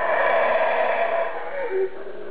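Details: An unseen howler monkey somewhere above the listener gives a close, harsh roaring howl that holds steady, then drops away into a quieter, lower-pitched groan.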